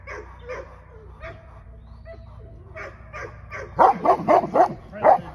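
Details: English Mastiff, a female dog, at her first training session: after a quiet start, a quick run of five sharp, harmonic-rich barks about a quarter-second apart near the end.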